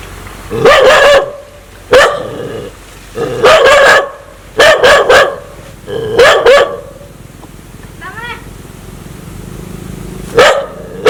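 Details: Aggressive dog wanting to bite people: six loud, harsh barking bursts, some single and some doubled, spaced one to two seconds apart, with a short faint chirping sound in a lull near the end.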